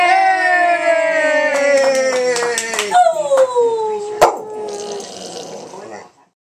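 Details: Samoyed singing along to happy birthday with one long, sustained howl that slowly falls in pitch, then wavers and dips again before fading out, following a person's sung birthday greeting.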